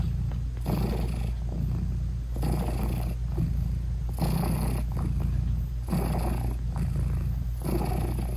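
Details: A mother British Shorthair cat lies with her newborn kittens, eyes still closed, and purrs in a rhythmic, breathy rumble that swells and fades with each breath, roughly once a second.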